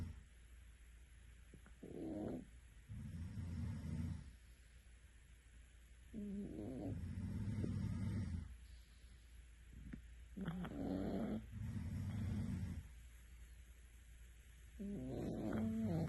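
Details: Cat snoring in its sleep. Four deep, rumbling snores come roughly every three to four seconds. Each is led by a short, higher-pitched wheezy breath, with near silence between them.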